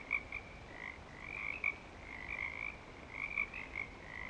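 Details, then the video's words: Breeding-season frog chorus at Clearwater Commons, frogs back and active: dense overlapping high trills forming a continuous ringing band, with a few louder bursts rising and falling above a soft low background hum. "Frog Song"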